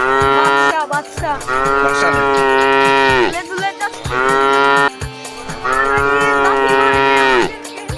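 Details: Cattle at a 2024 Qurbani cattle market, two long drawn-out moos of about two seconds each, rich and nasal with a slight fall at the end, backed by music.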